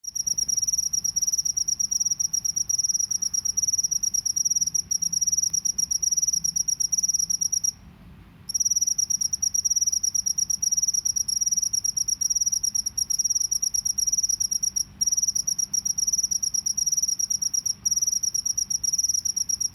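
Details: Field cricket from a rice field, natural recording, singing in the drilling 'ngebren' style: a continuous high, shrill pulsed trill held steadily, broken once by a brief pause near the middle, over a low background rumble.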